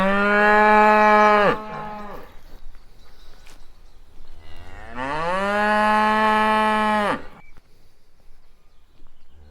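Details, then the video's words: Two long, loud moos from cows, each a rich harmonic bellow lasting about one and a half to two and a half seconds, the second rising then falling off, separated by quiet low rumbling. "sounds cows / happy cows /cow sound"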